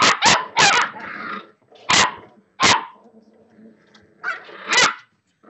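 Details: Six-week-old Boxer puppies at play, giving sharp broadband yaps and barks in short bursts, some spaced about a second apart, with softer growly noises between them.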